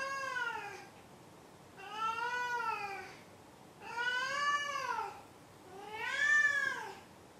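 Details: Four loud, evenly spaced meows from the cat Maru, each a rising-then-falling harmonic-rich wail lasting about a second, repeated roughly every one and a half seconds indoors.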